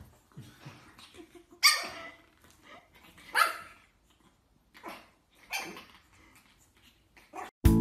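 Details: Pug puppies barking while playing: a handful of short, sharp, high yaps spaced a second or two apart, with soft background music and a loud click at the very end.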